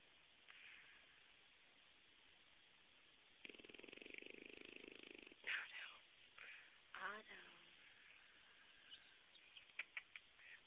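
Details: Pet French Bulldog named Otto, said to snore all the time even when awake, heard indoors. A steady run of fast rattling snore pulses lasts around one and a half seconds, then a person greets him with 'morning Otto'.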